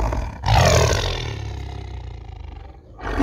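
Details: A captive tiger given a huge chicken at feeding time at night gives a deep, rasping roar lasting over two seconds, warning someone away from its food.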